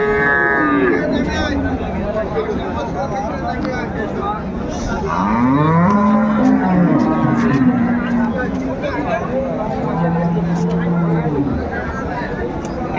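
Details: Cows and calves for sale at Ambari Haat, Dinajpur, Bangladesh, 21 March 2025: a long low moo climbs then levels off at about five to seven seconds, another drawn-out lowing follows near ten seconds, with market voices throughout.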